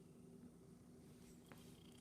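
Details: Rescued Domestic Shorthair cat practicing tricks indoors, purring softly: a quiet, steady low hum that runs continuously in a small room.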